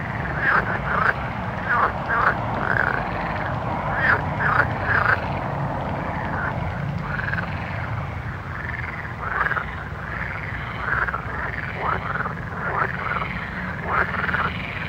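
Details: Frogs calling at night in a dense chorus: many overlapping arched, croaking notes repeat about twice a second over a steady low rumble.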